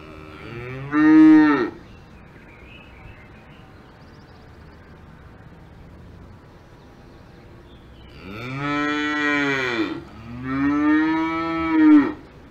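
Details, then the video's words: Cows on a farm in the Alps give deep, drawn-out moos, one short call followed after a pause by two long ones. "Cows Mooing on Farm in the Alps"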